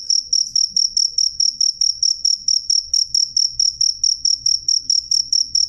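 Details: Loud, clean cricket chirp train, high shrill pulses spaced evenly around two per second, persisting throughout with a soft low rumble beneath.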